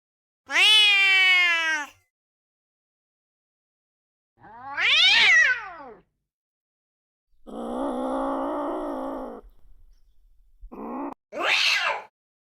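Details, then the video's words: Angry domestic cat giving several harsh calls: a long descending wail, a bent yowl, a flat buzzy growl-like call, then two short sharp hisses or spits, with silent gaps between. "15 angry cat sounds"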